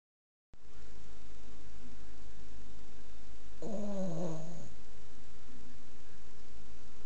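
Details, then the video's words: A sleeping Boston Terrier snoring very loudly. A single nasal snore of about one second, harmonic and slightly whining, sliding downward in pitch, stands out against a steady low hum. "Boston Terrier Snoring"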